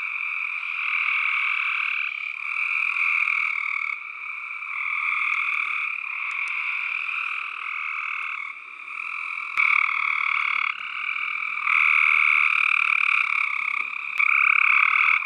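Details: Tree frogs calling in a dense, unbroken chorus: rapid pulsed trills with a low buzzy band and a brighter upper band, overlapping voices shifting every second or two, nothing else audible.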